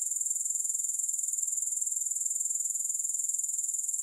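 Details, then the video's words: Continuous sizzling grasshopper song, free of music, stays very high and fast-pulsed, holding a constant level for the whole stretch. "3 Hours of Grass Hopper Sounds"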